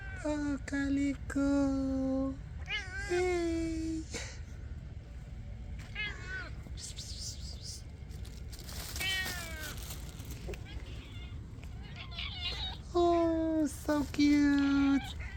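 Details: Homeless, hungry stray cats asking for food at night, including a calico, give repeated loud meows, some drawn out and wavering, in clusters at the start and end, while a person talks to them softly between calls.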